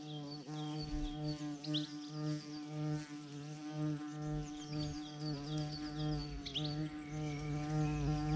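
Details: In a garden, a bumblebee's deep, steady droning buzz holds throughout, rich in overtones, while a few brief high bird chirps break in; a collared dove visits at the same time.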